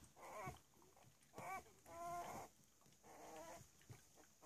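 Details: Three-week-old Cavalier King Charles Spaniel puppies at play, giving short harmonic whines and squeaks in several bursts, mixed with soft rustling and scuffling between calls.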